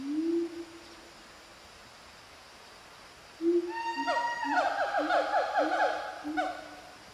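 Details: A siamang family group calls from trees in montane rainforest at Fraser's Hill, Pahang, Malaysia, around 11:28 on 19 January 2018: a long, low hooting tone, then rapid, ringing notes rising in a repeated series.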